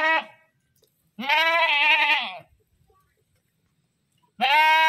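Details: Goat screaming: the tail of one cry, then a long wavering bleat over a second in length, and another loud bleat beginning after a pause.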